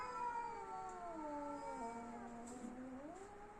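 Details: Tense domestic cats squaring off in a fight: continuous low wailing yowl with wavering, slowly dipping and rising pitch, held throughout with little else heard.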